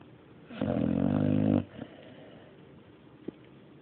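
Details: Sleeping pet dog gives one loud, harsh snoring inhalation lasting about a second, a grinding low buzz with breathy noise, followed by quiet breathing and a small click.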